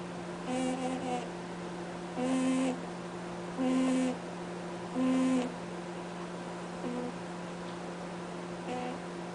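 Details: Sleeping bunny Cadbury snoring with honk-like sounds: a series of short, clearly tonal nasal honks, several loud ones roughly every one and a half seconds, then softer ones, over a constant low electrical hum indoors.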